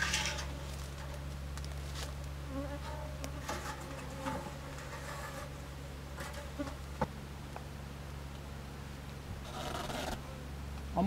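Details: Steady low-pitched buzzing from Japanese honey bees in a tiered box hive being extended with an extra box on 27 March 2015, with occasional rustling bursts and knocks.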